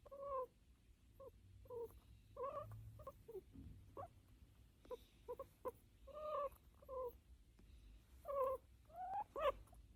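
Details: An American guinea pig, while being petted, gives a run of brief, squeaky, slightly nasal calls in quick bursts with short gaps, some sliding upward into thin whistles, over a soft low rumble; a habit unique to this pet.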